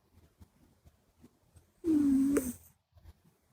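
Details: Sleeping Minuet kitten Buri, flat-nosed and short-legged, lets out one loud squeaky snore: a steady nasal tone gliding slightly downward for about half a second, ending in a brief upward squeak, amid soft rhythmic breathing indoors.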